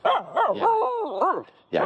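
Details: Aamu, a female Finnish Spitz, plays with a stick in an empty horse pen. Her loud, throaty, wavering vocalizations rise and fall in pitch like talking, followed after a pause by one sharp bark.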